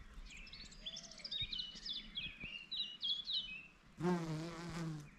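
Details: Large garden bumblebee (ruderal bumblebee) on red clover in an insect-friendly garden; about four seconds of high twittering birdsong, then a loud, low droning buzz with rich overtones lasting just over a second.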